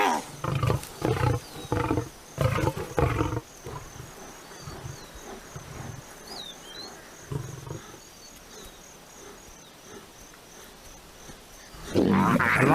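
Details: A lioness fights hyenas, described as taking revenge and venting her anger. Deep, harsh roaring bursts come in quick succession, then a quieter stretch, and a loud harsh outburst at the end.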